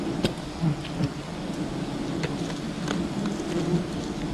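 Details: Wild bee colony at a honey hunt, a steady mass buzzing hum low in pitch, with occasional sharp ticks and crackles over the drone.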